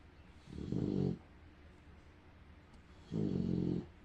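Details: Female bulldog asleep indoors, snoring loudly: two long, low, rasping snores about two and a half seconds apart, with quiet breathing in between.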